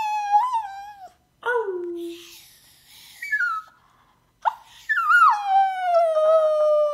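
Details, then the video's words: Splinter, a male Chinese Crested Poodle mix (Crestepoo), howls in long tonal wails that slide downward, several drawn-out cries separated by short pauses, the last one held steadily for about two seconds. "Splinter Howling"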